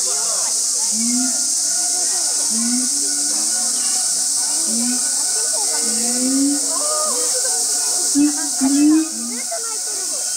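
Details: Siamangs Brave and Heart at Chiba Zoological Park, Chiba, Japan, on 2 August 2020, opening their show: short low rising hooted notes about every second and a half, some paired, over a steady hiss.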